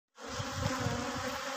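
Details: Honey bees at a bee farm in Pakistan: a dense, steady, droning hum that starts abruptly and holds an even level throughout.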